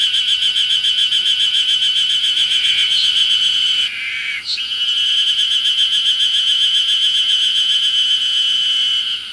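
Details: Chorus of Ezo harusemi cicadas singing everywhere on Mount Ryozen, Fukushima, Japan, 20 June 2021, in early summer; a dense, high, throbbing buzz pulsing about three to four times per second, with a brief break midway before resuming.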